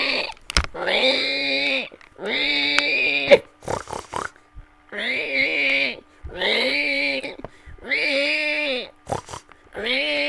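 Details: Repeated pig squeals: five long, strained, tonal cries, each about a second long and arching slightly in pitch, coming roughly every two seconds with quiet gaps and faint clicks between.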